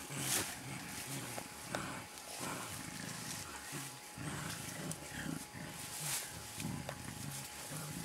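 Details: Wild mountain gorillas, a blackback and a two-and-a-half-year-old youngster, playing in Bukima, Virunga National Park, Congo, April 2007: low grunting pulses in short bursts, with rustling of vegetation, clicks and a steady faint hum.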